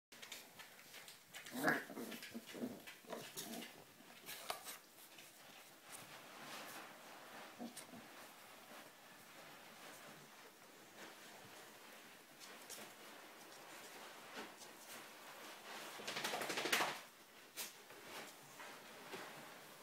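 Four-week-old dachshund puppies whimper and squeak in short, irregular bursts.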